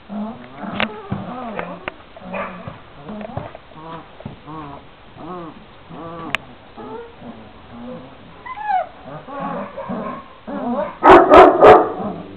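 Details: Šarplaninac puppies, 26 days old, from a litter of three males and five females: a busy chorus of overlapping arched whines and squeaky yips that come in quick succession, ending in a louder cluster of sharp cries.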